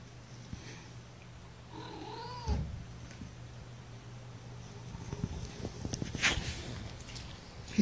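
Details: Young kittens from a litter of five, born April 14th, resting in a person's lap: one short wavering mew that rises and then falls. A low steady hum and handling rustles run underneath, with later scuffling.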